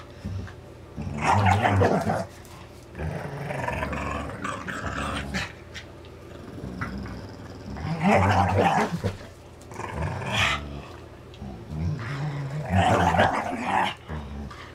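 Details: Two dogs tussle over a rope toy during play; rough, throaty growls come in loud surges around two, eight and thirteen seconds, with lower rumbling between bursts.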